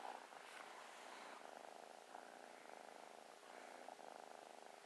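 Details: Loving new kitten purring as it snuggles, an even, pulsing low purr held for the whole stretch with no other notable sounds.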